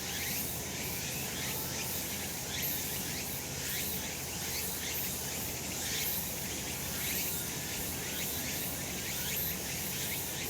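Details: Cicadas calling on a sunny summer mountain: a dense, steady high buzzing chorus with rhythmic pulsing strokes repeating roughly every second, continuous throughout, over a faint low rumble.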